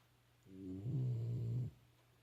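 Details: Pet Shiba Inu snoring at home: one low, rumbling breath lasting about a second, with harmonic bands, rising from a quiet room and stopping abruptly, with faint steady hum behind it.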